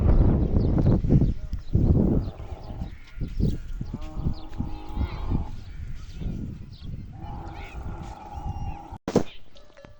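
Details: A camel crying loudly: a deep, rough roar at the start, then drawn-out, moaning tones with clear pitch, a few seconds apart.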